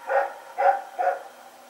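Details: Nighttime barking from Rex, a dog running about, recorded September 21, 2018: three quick, full barks about half a second apart, then silence.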